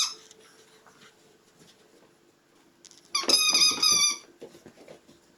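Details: Puppies indoors, mostly quiet with faint rustling, then one loud, high, wavering squeal lasting about a second before fading to soft shuffling.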